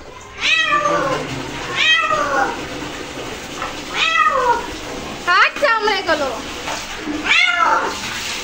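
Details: Pet cat protesting a bath in a small indoor room, five separate plaintive meows, each bending upward then sliding down, spaced about one and a half seconds apart, with faint water noise and a person talking underneath.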